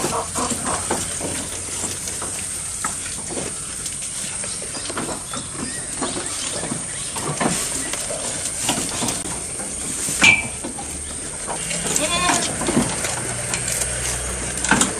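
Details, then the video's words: Close recording of a goat eating: irregular crunching and snapping clicks as it bites and chews, occasional louder tearing bursts, and a brief bird note near the middle. "Goat Eating Sound"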